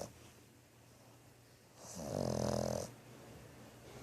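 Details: Sleeping French Bulldog named Thor gives a single rumbling snore about one second long midway through, with a low, buzzy, vibrating tone over quiet breathing before and after.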